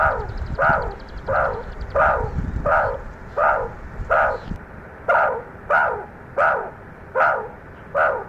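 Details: Wild meerkat group grooming and huddling together at sunset before going to sleep, low-angle recording: loud harsh bark-like calls repeated steadily, roughly every 0.7 seconds, about a dozen in a row, with some low rumbling early on.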